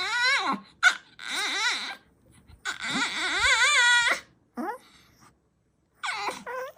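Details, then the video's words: Pet dogs making strange vocal sounds: a series of long, wavering, high whining howls with rich overtones, each lasting about one to one and a half seconds and separated by short silences, in a small room. "이상한 소리를 내넼ㅋㅋㅋㅋㅋ"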